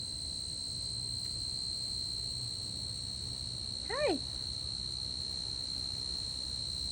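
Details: A tree cricket in a garden at night sings a steady, unbroken high trill that holds one pitch throughout.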